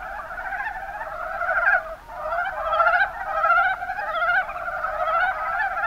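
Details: Mountain brown frogs in the Kuma Basin, Kumamoto, Japan: a dense chorus of overlapping low chuckling croaks, rising and falling in loudness in waves every second or two.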